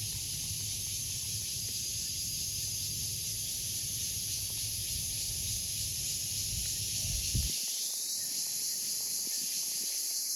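A cicada gives a steady, high, hissing buzz that drones on without a break.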